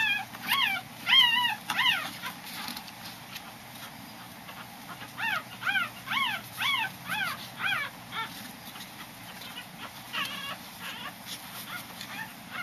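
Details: A five-day-old Corgi puppy being weighed gives high, thin squeaking whimpers that arch up and down, in bursts.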